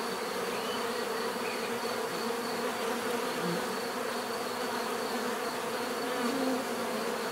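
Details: Bees buzzing in a steady, dense drone, a continuous hum layered with overlapping wingbeat tones and no pauses across the whole stretch.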